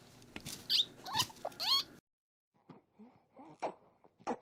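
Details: A guinea pig gives short high squeaks and chirrups, happy noises made while being squeezed as it drinks milk.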